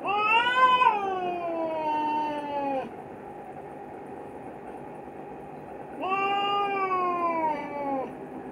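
Two long, wailing yowls from a male Himalayan cat in heat, each starting high and sinking lower over a few seconds. The caterwauling is his mating call, separated by a quiet pause with faint background hum.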